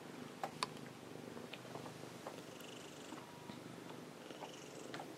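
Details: Ameta, a pet cat lying beside a computer in its favourite calm spot, purrs steadily indoors: a soft, continuous low rumble lasting the whole stretch, broken by a few faint clicks and taps.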